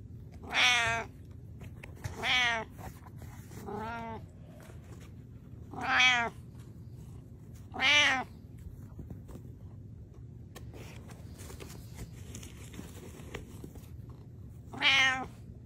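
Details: Domestic cat Butters meowing: six loud, harmonic-rich meows, each under a second and spaced roughly every one to two seconds, with a low steady hum in the background.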